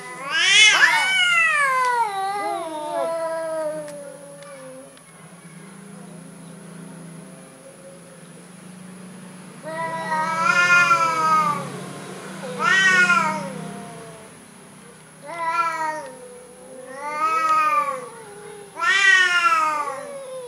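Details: Orange cats described as cowardly give long wavering meows, one loud call at the start, then after a quiet stretch a run of four or five strained meows about every two seconds, low hum beneath.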